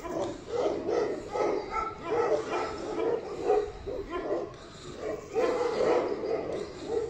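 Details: Tibetan Mastiff barking in a steady run of mid-pitched, rough barks, a little over two per second, with faint background noise throughout.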